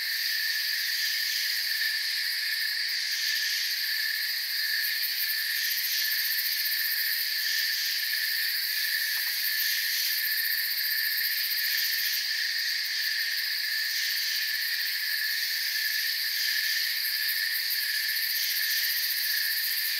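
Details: Crickets in a forest, a dense chorus of continuous shrill trilling layered in several steady high bands, unbroken and even in loudness throughout, with no other clear sounds.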